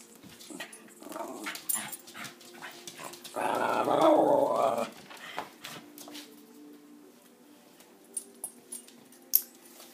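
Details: West Highland White Terrier indoors, in a small room, voicing its 'uba' sound: a single loud, sustained grumbling utterance lasting about a second and a half mid-clip, surrounded by quieter clicks, taps and rustling.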